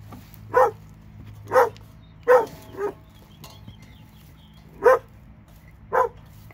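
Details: Dog in Alabama, one of two, barking in single sharp barks spaced about a second apart, six barks over several seconds with a low steady hum beneath.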